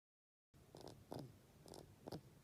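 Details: Kira, a bedridden pet rabbit of about 13, breathes with a snore-like sound caused by overgrown teeth irritating a tear duct, used to ask for food or petting. Four short, rasping, snuffly breaths come about half a second apart indoors.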